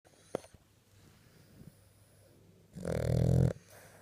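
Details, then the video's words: A sleeping French Bulldog snoring: one loud, low, rasping snore lasting under a second near the end, after quiet breathing and a few faint clicks. "Snoring Our French Bull"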